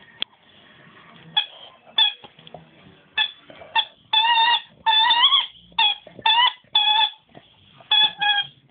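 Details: Squeaking in place of barking, Nemo the dog produces repeated high, harmonic squeaks, some short and clipped, others longer and wavering, spaced irregularly through the recording in a quiet indoor setting.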